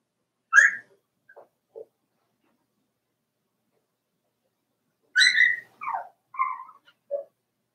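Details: Four-week-old Cavalier King Charles Spaniel puppies in a puppy pen: a sharp high yelp, then quiet pause, then a burst of whiny squeals and short falling whimpers, with a couple of soft lower squeaks.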